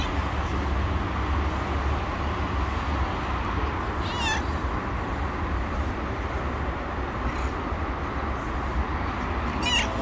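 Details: A tabby street cat runs up and meows politely, asking for food: two short, clear harmonic meows about six seconds apart, one near the middle and one at the end, over a steady low rumble like traffic or an engine.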